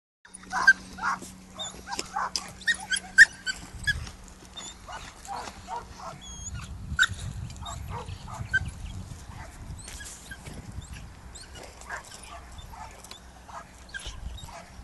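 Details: A 5-month-old Belgian Malinois on a victim-search training exercise, seeking a person hidden in a hole, gives short, irregular barks and whimpers over a steady low hum.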